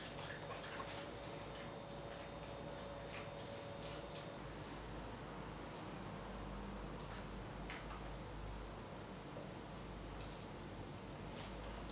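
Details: Quiet indoor room tone with soft scattered clicks and taps, and no animal vocalisation.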